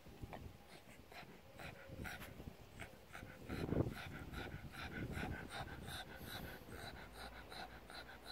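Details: Pug basking on a sun lounger, worked up by caresses; steady fast panting throughout, with a louder snort near the middle and a faint whimper.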